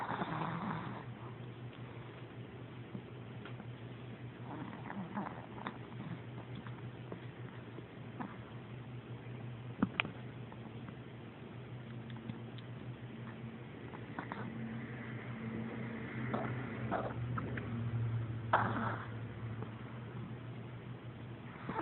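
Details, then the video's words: A Chihuahua snoring while asleep indoors: a steady low rumbling drone runs through the recording, with soft breathy swells and a few faint clicks, rising slightly louder near the end. "My chihuahua sleeping and snoring"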